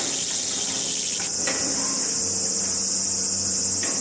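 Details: A Walker's cicada (Meimuna opalifera) sings in a garden with a loud, continuous high-pitched buzzing drone.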